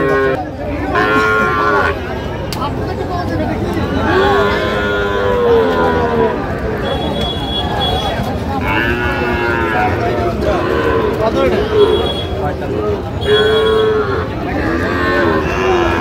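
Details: At a crowded cattle market in Ambari, Feni, Bangladesh, Sahiwal bulls give repeated long drawn moos roughly every few seconds, rising and falling, over constant crowd chatter and price haggling in Bengali.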